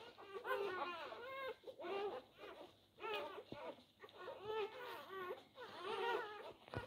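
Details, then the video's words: Labrador Retriever puppies, four days old, jostling for the teats. Nasal, cry-like squeals come in bursts about once a second, wavering up and down with brief pauses and a soft background hiss. "Die Labrador Welpen am Tag 4. Kampf um die Zitzen."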